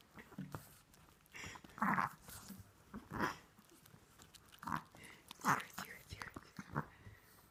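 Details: A Chihuahua sleeping with its tongue out and eyes open snores in soft, raspy bursts that come every second or so in an uneven rhythm.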